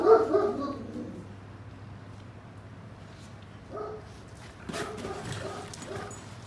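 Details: Great Pyrenees and German Shepherd puppies, brothers, play-fighting indoors: a loud, short, harmonic bark or yip opens, followed by near quiet, soft scuffling and a few faint, brief yelps near the end.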